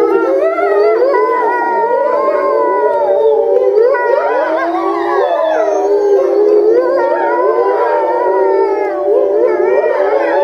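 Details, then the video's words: Several grey wolves at Tama Zoo, Japan, in November 2013 all start howling at once, in long, overlapping notes that rise, fall and waver. "多摩 タイリクオオカミの遠吠えHowling wolf"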